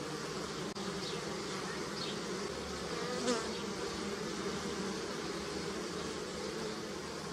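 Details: Bees foraging on flowering willow in early spring, Europe, gathering nectar; a thick continuous buzz of many insects, with a brief louder swell near the middle as one flies close, plus faint high chirps in the background.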